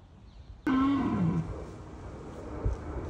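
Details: Red deer stag in Bushy Park rut, calling to deter rival stags: a sudden, single deep groan that slides downward in pitch and fades within a second, leaving low background noise.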